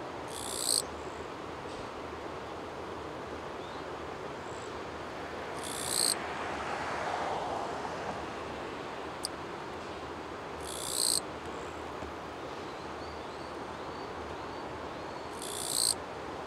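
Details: A Japanese katydid, oddly calling while its body is tilted off balance, vibrates its wings in short, harsh, buzzy bursts roughly every five seconds over a steady rushing background.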